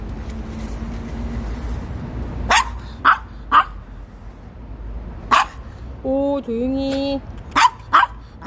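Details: Maltese dog, ten years old, yapping on a cool early morning walk near home in Seoul after playing tag; a few short sharp barks after a quiet start, with a brief tonal vehicle or horn sound midway and traffic rumble.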